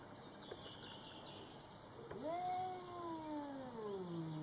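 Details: Domestic cats Coco and Rocky meeting a Bengal neighbour cat for the first time; one long, drawn-out meow starts abruptly, holds a steady wavering tone, then slowly falls in pitch over about two seconds, with quiet background hum.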